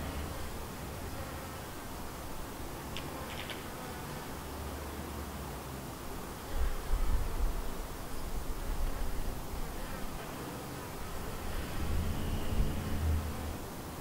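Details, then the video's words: Honey bees from a white hive, a split from a yellow hive, buzzing around the hive: a steady low drone with swelling passes as bees fly near, and brief higher buzzy streaks. "Just Honey Bees Buzzing in HD Audio around about my White hive"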